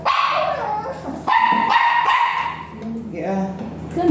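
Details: Virgin dog at a vet clinic during mating service; drawn-out barks and yelping whines with falling tails, a person talking nearby.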